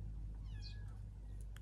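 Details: Small cat sheltering in a tunnel in Gaza from missile bombing gives a brief, faint, high arched meow, falling away quickly, over a steady low hum, while a person coaxes it, repeating "come here".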